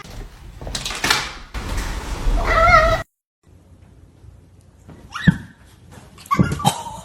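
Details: Cat giving a short harmonic meow lasting under a second, set between bursts of rustling, thumping household noise, followed by a silent gap and a few faint clicks and knocks.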